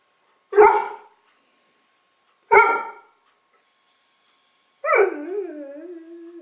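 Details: A dog barks at the camera: two sharp, loud barks about two seconds apart, then after a pause a third bark that slides into a drawn-out, wavering, falling whine-like tone; otherwise quiet surroundings.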